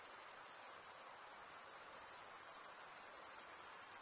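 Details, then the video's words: Chorus of stridulating crickets, chirps made by scraping one wing along the serrated vein of the other; a shrill continuous trill with faint quick pulsation fills every moment, with nothing else audible. "Most relaxing cricket sound"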